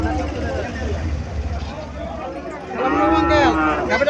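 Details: Cow at Chandimura cattle market in Comilla, Bangladesh, gives a short moo near the end over loud crowd chatter, vehicle rumble and music.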